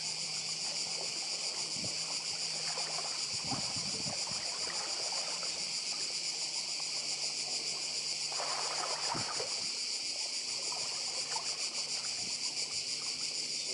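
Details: Cicadas buzzing intensely and without pause on Badija island in Croatia, a high rapid pulsing drone, with sea noise and a low engine-like hum.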